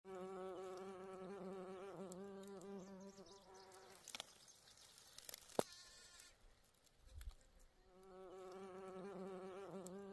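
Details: A bee among flowers gives a steady, low droning buzz that wavers slightly in pitch, fading out briefly before returning.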